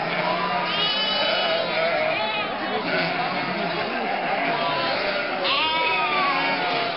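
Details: Nearly 1,000 sheep, lambs and goats herded through Mörnsheim's old market centre in Germany's Altmühltal in May toward summer pasture; rapid, overlapping bleats, several drawn-out trembling calls, with people talking underneath.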